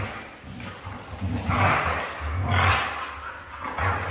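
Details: A red female Siberian husky gives low, rumbling growls broken by two louder, rougher, roaring vocal bursts, then drops back to a low grumble.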